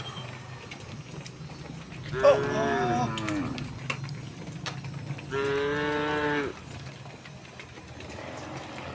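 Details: Tame cows walking in a row along a path toward a green hill in the countryside; two harmonic moos, the first wavering and the second steady and about a second long, over a low rumbling background.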